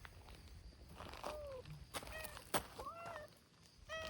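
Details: Community cats led by a brown-tabby-and-white cat called Hime gathering outdoors; several short, slightly falling meows come in quick succession against clicks, shuffling and faint background noise.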